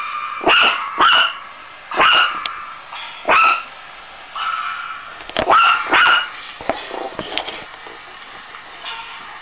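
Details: A frightened Chihuahua puppy lets out shrill yips and barks, some paired close together, repeated roughly every second or so, with brief quieter whimpers between the bursts.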